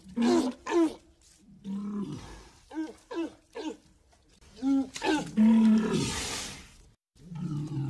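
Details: Walrus giving a quick series of short, harsh, harmonic roaring calls in bursts, some rising then falling, with a loud breathy hiss near the end before a final low groaning roar.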